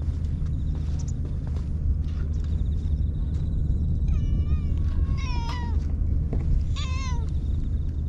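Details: Stray cats waiting behind anglers for a fish to be caught give three short harmonic meows, rising then falling, between four and seven seconds, over a steady low rumble of wind or surf.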